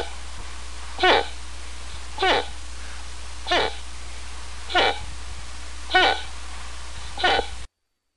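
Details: Series of six rough, clipped moose grunts, evenly spaced a little over a second apart, each a short falling burst over a steady low hum.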